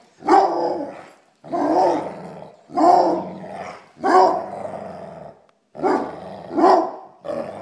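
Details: A Basset Hound at play gives deep, drawn-out barks, each about a second long, repeated in a steady series.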